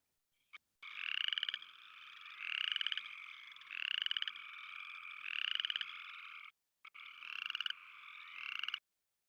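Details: Upland Chorus Frog (Pseudacris feriarum), advertisement call in West Virginia's Eastern Panhandle: rising, raspy trills about a second long, repeated every one to two seconds, differing from the similar mountain chorus frog's call.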